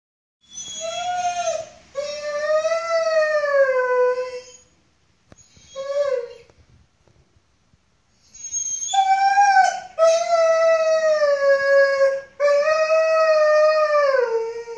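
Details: Gordon Setter named Mickey crying as the owner leaves for the store: long, high, tonal whines with rich harmonics, held one to three seconds each and slightly falling at the ends, in several bouts separated by short silences.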